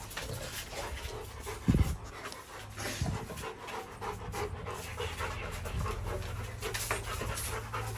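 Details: Rottweiler in a kennel panting steadily in short breathy bursts, with a couple of low thumps near the start and a faint low hum underneath.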